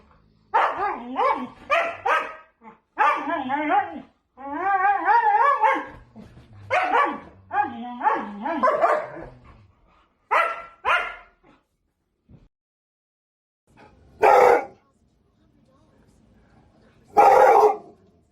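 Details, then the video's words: Siberian Husky in a run of varied wavering yelps and woo-like calls in quick clusters, followed by two loud, sharp barks spaced about three seconds apart. "Tunog ng SIBERIAN HUSKY | Sound of SIBERIAN HUSKY"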